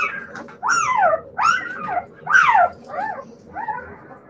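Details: Siberian Husky puppies giving five arched, whistled whimpers, each rising then sliding down, with short gaps between them and a faint low hum behind.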